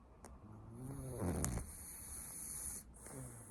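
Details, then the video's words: French Bulldog sleeping on its owner's lap, one long, rough, low snore swelling and fading over about a second, followed by softer breathing against a constant high hiss. "フレブル いびきをかいて寝る 犬"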